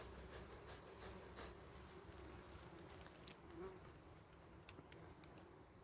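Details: Small wild honey bees at a nest in dry berry twigs, filmed during honey harvesting; a low, steady, droning hum of many bees sits beneath scattered clicks and rustling handling noise.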